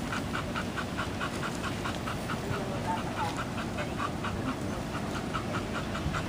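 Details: Rapid, regular panting from Katie, a German Shepherd Dog fresh from a full-service training program, with short breathy pulses repeating several times a second over a continuous low-pitched background noise.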